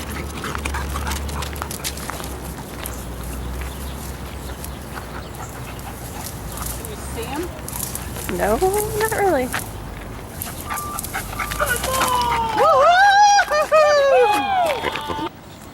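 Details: Sirius, being assessed as a wildlife detection dog, breaks into arching, wavering whines around the midpoint and a louder cluster of overlapping whimpers toward the end, after quieter background chatter.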